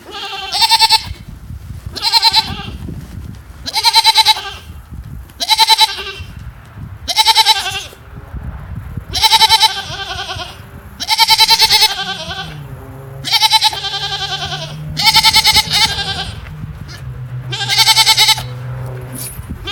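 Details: Female goat giving a series of short, harmonic, nasal chirping calls, about eleven in twenty seconds, each under a second long and repeated roughly every one and a half to two seconds, with a faint low hum behind.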